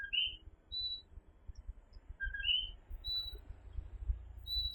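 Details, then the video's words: Coquí, a tiny tree frog, calling at night in Puerto Rico: soft two-note co-QUÍ calls, a short lower note and then a higher upsliding one, repeated by several frogs, with thin high whistled tones and a low rumble beneath. "Coquí Serenade"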